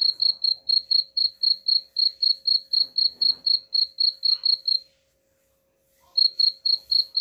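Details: Cricket chirps meant to scare off rats, repeated briskly about four times a second, then a full second of silence before the chirping resumes.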